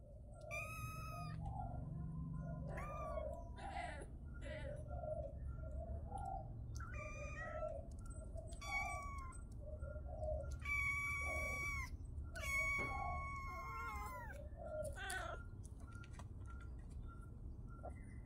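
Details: Kittens meowing repeatedly in high, harmonic-rich cries, several long drawn-out calls that bend downward at the end, with lower chirping sounds between them, a steady low background rumble and a faint pulsing electronic tone throughout.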